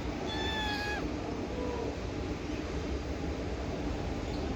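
A Scottish Fold kitten gives one high, thin meow that slides slightly downward, followed by a faint shorter mew.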